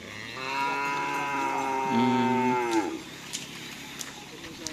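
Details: Bull race (karapan sapi) training cattle at Asemanis field, Pamekasan, ahead of Kawedanan: one drawn-out moo, even for two seconds, then sliding down and cutting off, with faint clatter and background noise after.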